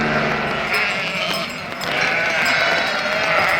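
Sheep bleat in a steady, overlapping chorus of wavering, nasal cries that run on for several seconds without a clear pause.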